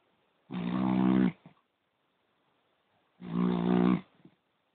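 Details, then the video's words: Two long, harsh snores from a poodle, each close to a second, separated by a pause of about two seconds, with a faint snuffle trailing after each one in a quiet room. "Храп пуделя"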